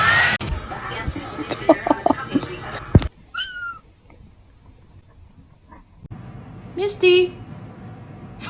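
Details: Kitten meowing in a funny pets compilation: a brief high mew sliding downward, then a lower, fuller meow near the end, with talking and clatter at the start and quiet room tone between.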